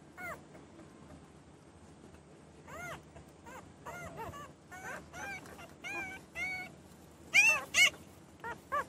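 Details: Newborn puppies whining: short high arched whimpers, scattered and faint at first, growing louder toward the end with a few sharp squeals.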